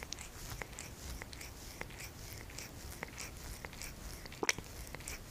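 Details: Cat licking: soft, wet clicking smacks repeated roughly every half second, steady and fairly quiet over a constant low hiss, with one slightly louder smack near the end.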